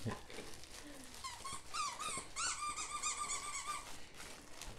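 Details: Weimaraner indoors while a box of new dog toys and treats is unpacked. It gives thin, high whimpers that rise in pitch, then a sustained, wavering high whine of about two seconds, with rustling packaging throughout.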